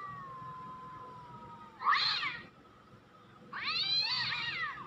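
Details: Cat meows played to test whether cats come and to watch a cat named Nuan react: a thin steady tone fades out, then two bright, harmonic meows, the second longer with a wavering, arched pitch.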